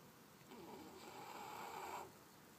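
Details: Sleeping puppy Charly gives a single drawn-out snoring breath, about one and a half seconds long, with a faint whistling tone through it, in a quiet indoor room.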